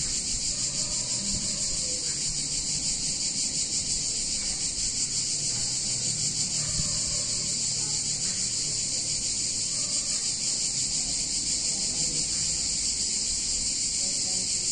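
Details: Cicadas singing on a hot summer day in a picturesque Italian town: a dense, unbroken high-pitched buzzing chorus holding steady throughout, with faint low rumbling background sounds underneath.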